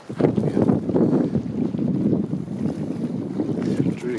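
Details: Strong wind rumbles against the microphone beside sloshing lake water, with a faint voice in the background and no animal calls.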